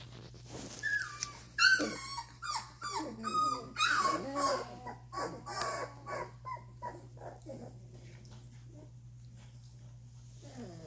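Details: Doberman puppies two and a half weeks old, learning to sit up, move and play, give a loud run of high, wavering whines and whimpers, rising and falling in quick bursts, then fading to softer whimpers over a steady low hum.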